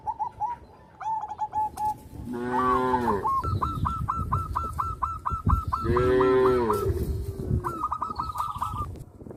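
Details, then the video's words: Village farm cattle mooing twice, a few seconds apart, each call a deep, rounded low of about a second. Long runs of fast, evenly repeated chirping notes fill the gaps and overlap the moos. "sound of cows"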